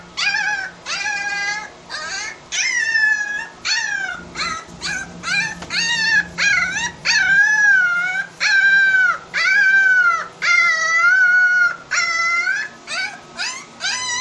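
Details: Porcelaine puppy vocalizing to its mother in a steady run of short yodeling howls, each note bending up then down, repeated about once a second with short gaps, strongly harmonic and fairly loud.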